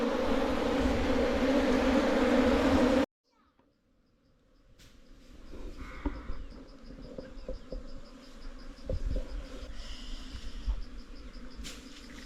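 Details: Wild hill bees swarm around their earthen-hole nest in the hills while the colony is taken into a box for honey farming. A loud, thick buzz runs for three seconds, then drops to near silence before faint humming, taps and rustles return.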